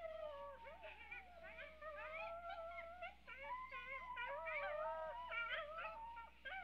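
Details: Coyotes in a chorus of overlapping wavering howls and quick high yips, several voices sliding up and down together without pause, over a steady low hum.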